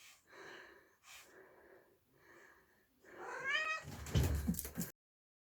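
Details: Domestic cat in a lively hunting-play session, 4 January 2022, giving three soft, evenly spaced meows followed by a longer rising meow, then a burst of loud scuffling noise.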